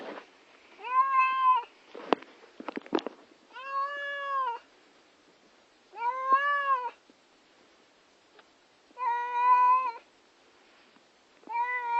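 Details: Upset female house cat about to be taken to the vet, giving repeated drawn-out harmonic meows of about a second each, with short clattering noises between the first calls.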